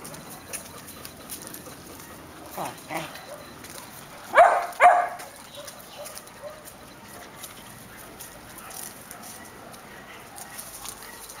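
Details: Airedale terriers of Syrius-Laybel and Poldi's Janin, kept together with a Welsh terrier; a couple of soft barks, then two loud, sharp barks in quick succession, set against a quiet, steady background hiss.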